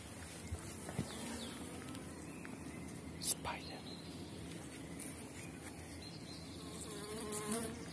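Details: Honey bees of small-cell 4.9 stock at an apiary in April, colonies strong as dandelion blooms and supers are added; a steady low hum of many bees with scattered knocks and brief higher flight buzzes.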